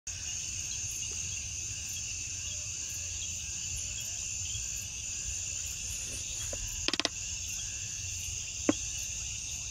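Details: Crickets chorusing at night, as fireflies glow: a steady, dense high-pitched trill layered in two continuous bands, with faint rapid pulsing above, broken near the end by a few sharp clicks.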